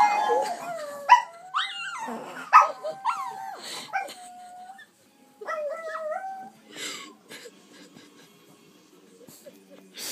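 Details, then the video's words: Chihuahuas howling in short, sliding, yodel-like wails that rise and fall, several voices overlapping at first, then fading into scattered whimpers and quiet clicks after a brief pause midway. "Chihuahuas Howling"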